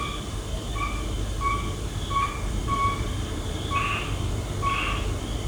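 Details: Nighttime frog calls: brief tonal notes repeated roughly every half-second to second, a few ending in a louder, broader burst, all over a constant low rumble.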